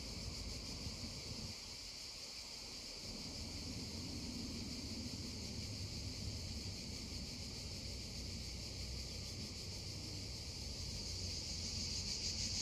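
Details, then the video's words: Cicadas drone continuously near a babbling stream, a high, even, slightly pulsing whine over steady low water noise that swells briefly early on. "溪聲蟬鳴2(原音), babbling stream and droning cicadas 2"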